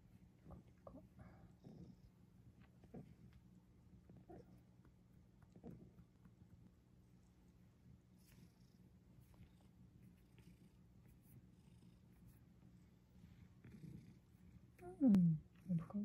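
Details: Domestic cat named Sacchan, late at night, resting calmly on an earthen floor indoors after coming downstairs with grandmother, able to move a little again. Steady low purring runs throughout with soft tapping, then a brief rising-falling meow near the end.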